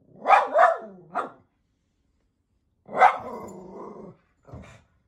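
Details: A miniature poodle barking at animals on the TV gives sharp, high barks, then a longer drawn-out growling bark.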